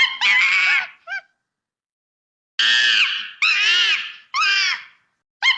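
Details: Monkey playing in its natural habitat in the bush, giving loud, harsh, harmonic screams that arch and fall, each lasting about half a second to a second, in two bursts separated by a silent gap of over a second.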